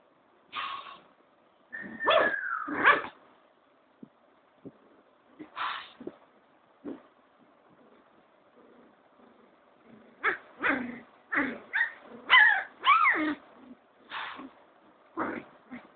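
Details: A cocker spaniel in Kolkata, India, gives sharp barks and yips in irregular bursts.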